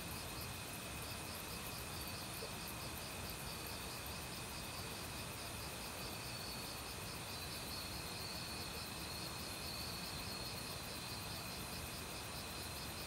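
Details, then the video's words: Forest insect chorus in autumn led by crickets: constant shrill trills layered with a rhythmic pulsing buzz, while mountain stream water rushes steadily underneath. "가을 귀뚜라미 소리"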